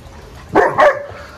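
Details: Dog at a dog training school, recorded 17 October 2022, giving two short, sharp mid-pitched barks about a quarter second apart over a quiet background.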